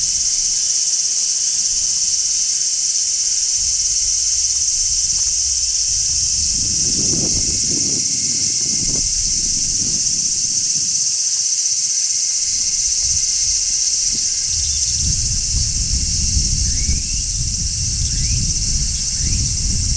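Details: Midsummer chorus of large brown cicadas on a tree, a constant piercing high-pitched hiss with no breaks, over bursts of low rustling and rumble in the middle and toward the end, plus a few faint upward chirps.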